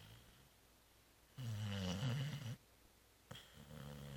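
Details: Zoé, a cat sleeping deeply after the Christmas Eve réveillon and Christmas brunch, gives a low droning snore of about one second, then silence, then a fainter breath starting near the end, indoors.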